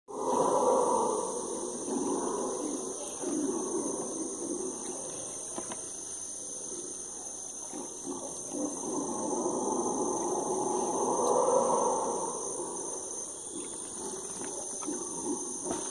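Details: A group of howler monkeys roars at dusk in the Amazon rainforest near a floating lodge, a deep, rumbling chorus that swells and fades over a steady insect drone.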